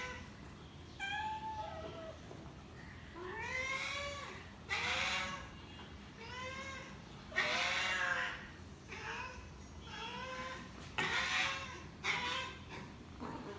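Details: A hungry domestic cat meows again and again. Its short, arched, nasal mews rise and then fall, coming in quick runs about one each second over a low background hum.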